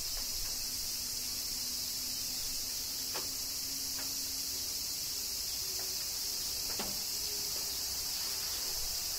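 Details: Summer rain in Kyoto, Japan, with cicadas: a continuous shrill, buzzing wall of insect sound, a steady low hum underneath and occasional crisp clicks of falling drops.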